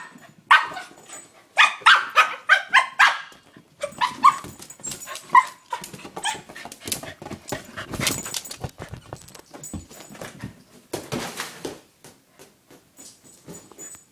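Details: A male corgi attacks his new toy ball, giving rapid bursts of sharp, excited barks and yips with scuffling noises between them.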